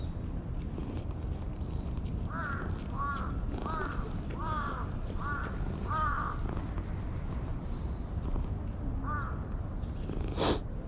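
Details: Pitch-black stray cat that chased a person and settled on their lap keeps mewing insistently, a string of seven brief arched meows about half a second apart, then one more, a sharp click near the end, low rumble throughout; GoPro recording.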